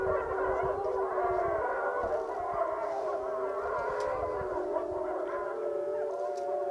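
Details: Wapiti Lake wolves in a group howl; several smooth sustained tones drift and overlap at steady pitches, with a lower howl sliding down early on, over soft background rumble.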